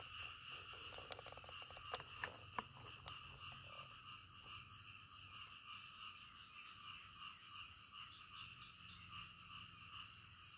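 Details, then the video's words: Frogs calling in the middle of the night, a calm natural night scene: a dense chorus of rapid, pulsing croaks in bands, with a few sharp clicks early on and a steady background hiss. "SUARA KODOK DITENGAH MALAM"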